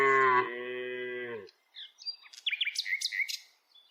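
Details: A tame village cow being herded along with dozens of others on its daily walk gives one steady, deep moo of about a second and a half, then small birds chirp and twitter in the quiet afterwards.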